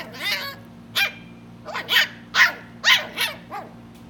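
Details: Three-month-old West Highland White Terrier puppy barking in a rapid, uneven series of about eight sharp, high yappy barks over four seconds, with a steady low hum underneath.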